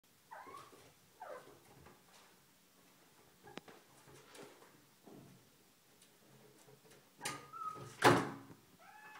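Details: Little house kitten that can open a closed door: two short, bending meows near the start, then quiet shuffling, then loud thumps and a clatter from the door near the end, followed by a brief faint mew.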